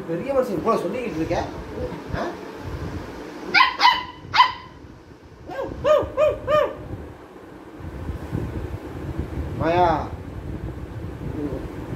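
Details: A Labrador puppy gives short, sharp, high-pitched barks in quick bursts during play time and barking training with an older Labrador, with voices nearby.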